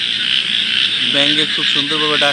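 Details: Frogs calling at night beside water where small lights twinkle; a constant high shrill chorus underlies several loud, nasal, rapidly pulsed croaks in the second half, delivered in quick bursts.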